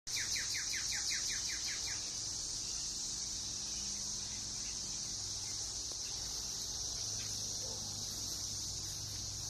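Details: Brood X periodical cicadas in a Northern Kentucky backyard, June 2021, after 17 years below ground. A loud, steady, high-pitched droning chorus runs throughout, with a quick series of repeated bird chirps in the first two seconds.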